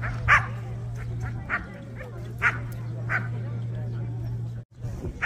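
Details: Korean Jindo dogs at a Korean Jindo Dog Association show, the 67th best Jindo dog selection contest: single sharp barks spaced roughly a second apart stand out from the murmuring crowd and a low electrical hum.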